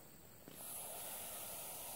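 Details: Hognose snake, nicknamed the Missouri cobra, a harmless non-venomous snake putting on a cobra-like defensive show: a steady, breathy broadband hiss starts abruptly halfway through and holds to the end, after quiet background rustle.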